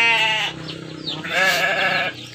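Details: Texel sheep kept in a simple pen, giving two bleats: a short harmonic-rich cry, a brief pause, then a longer, wavering bleat lasting nearly a second, with faint background noise.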